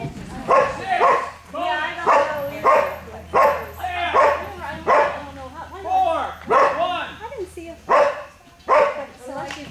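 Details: Gordon Setter in an Ex B Fast 26in class, 9/30/11, giving loud, rough barks in a steady series, about one every second, with a few doubled barks, over a continuous low electrical hum.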